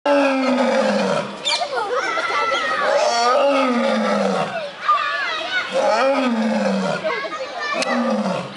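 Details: A lioness at Gwalior Zoo gives deep, drawn-out groaning roars that slide downward, over people talking nearby.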